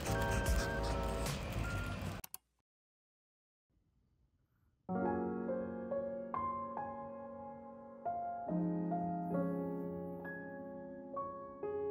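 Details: Piano music plays, cuts to about two seconds of silence, then resumes with bright repeated keyboard notes.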